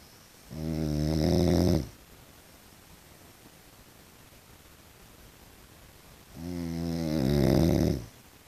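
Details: Sleeping tiger brindle French Bulldog indoors producing two loud, rumbling snoring breaths about five seconds apart, each over a second long with a rough, buzzing texture, separated by near silence.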